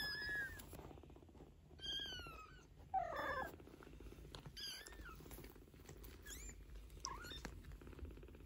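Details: Mother cat Geza, a Maine Coon, talks to her 15-day-old kittens; overlapping thin, high mews from several kittens ride over a steady low purring rumble.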